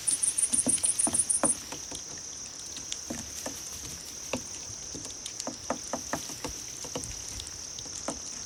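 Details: Grass insects, likely crickets, offered as a cat-luring sound: a quick burst of about ten high, pulsed chirps opens, over a steady high-pitched trill, with scattered sharp clicks and patters throughout.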